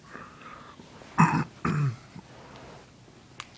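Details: Two short, harsh bursts of a person clearing their throat or coughing indoors, followed by quiet room hiss and a small click; no animal voice.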